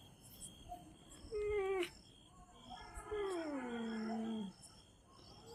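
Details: Chippiparai dog giving two faint, drawn-out whining cries, each sliding downward in pitch, the second longer and wavering, over a steady background hum with faint tonal electronic whistles.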